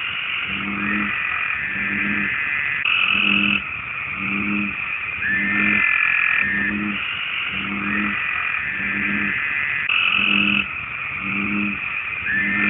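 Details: American bullfrog (Lithobates catesbeianus), a common amphibian in the United States, giving its mating call: short, deep, low croaks repeated roughly once a second over a dense, steady high-pitched chorus with brief whistled streaks.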